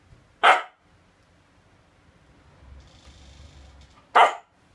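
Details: Siberian Husky indoors, barking back in protest while scolded for secretly eating a shrimp cutlet: two short sharp barks nearly four seconds apart, with quiet room hum between.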